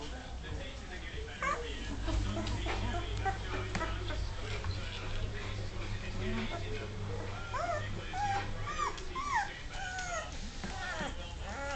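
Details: Dogue de Bordeaux puppies, two and a half weeks old, learning to walk indoors: high thin whimpers and squeaks, some rising then falling, scattered through the second half over steady low hum and a person talking.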